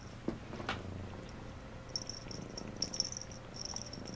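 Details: Domestic cat purring steadily in a low rumble during a bath, Phoebe giving Phluffy a bath; soft high ticking and licking-like clicks sound above the purr, with a sharp tap near the start.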